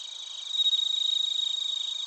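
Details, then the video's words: Bell crickets and crickets calling in Narita, Chiba, Japan, a close singer producing a fast, rapidly pulsed high trill that swells in loudness after half a second, over a steady background of ringing insect tones. "スズムシとコオロギの鳴き声 - Chirping of crickets"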